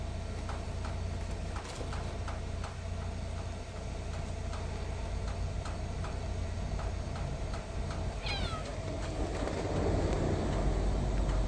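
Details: A white stray cat playing with a box gives one short, high meow that slides downward, heard near the end over a steady low rumble and a regular ticking.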